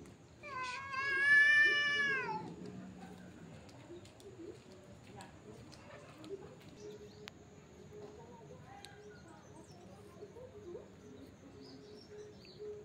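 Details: Fighting cats give one loud, rising-and-falling wailing yowl lasting about two seconds, followed by a long stretch of quiet background with faint low murmurs.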